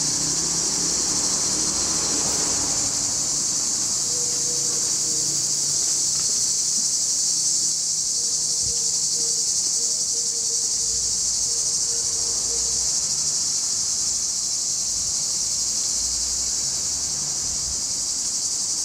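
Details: Male cicadas in full song near Larissa, Greece, in July: a continuous, even, high shrill hiss dominating throughout, with faint low hums and a brief distant tonal sound in the background.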